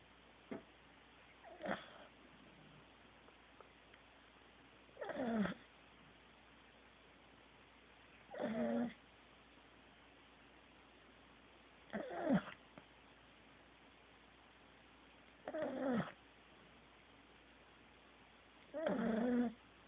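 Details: Corgi asleep and snoring indoors: rough, breathy snores with a faint voiced edge, one roughly every three and a half seconds, each lasting under a second, with quiet room hiss between breaths.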